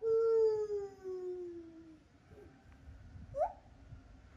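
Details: A captive lar gibbon at Japan Monkey Center sings a long, pure hooting note that slowly falls, then a quick upward swoop, its song phrased with distinct changes of voice.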